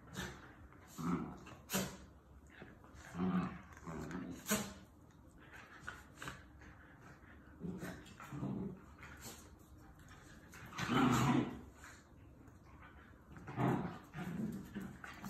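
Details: Puppies playing with each other: short bursts of low growls, yips and whimpery squeals come in scattered clusters every second or two, with quiet gaps between the scuffles.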